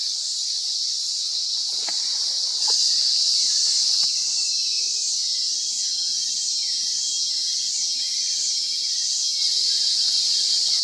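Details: Fluorescent Pumpkin Toadlet (Brachycephalus rotenbergae) at Mata da Camara, Sao Roque, Sao Paulo state, Brazil, October 2022: a long series of short, high arched notes, about four per second, over a dense, steady insect drone.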